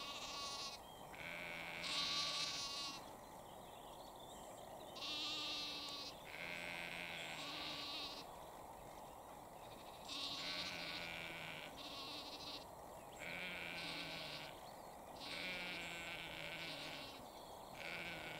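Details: In Cambridgeshire, UK, at 6:39 pm on 20 April 2021, a ewe bleats repeatedly, calling to her lamb, each bleat a wavering, nasal cry.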